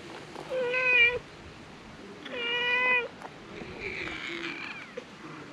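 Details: Stray cats on a Japanese cat island gather around; two clear, drawn-out meows with rich stacked harmonics, each about half a second long and a second and a half apart, followed by a fainter, higher mewing sound and soft background noise.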